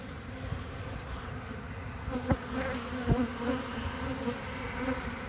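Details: Honey bees on three frames of a hive in mid-February 2021. A steady low buzz runs throughout, broken by two sharp knocks near the middle.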